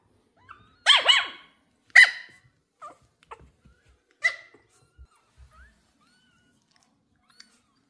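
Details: A female Pomeranian puppy meeting new kittens for the first time gives a few sharp, high-pitched yapping barks of excitement.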